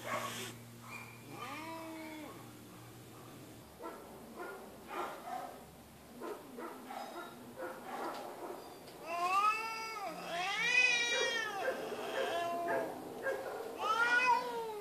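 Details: Feral female cat held at an animal shelter. Quieter noisy stretches and a faint short wail come first, then loud, arching, strained meows run almost back to back in the second half.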